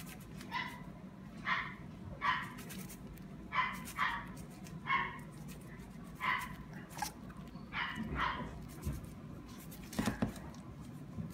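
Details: Dachshund giving a series of short, sharp yapping barks, roughly one per second, some in quick pairs, over a steady low background hum.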